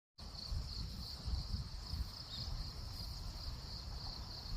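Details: Cricket calling in the daytime rather than at night: a steady, high, shrill trill held without a break, with faint pulsing along it, over a constant low rumble of outdoor background noise.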